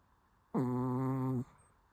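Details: A sleeping Shih Tzu gives one steady, nasal, droning snore just under a second long, low and even in pitch, then silence.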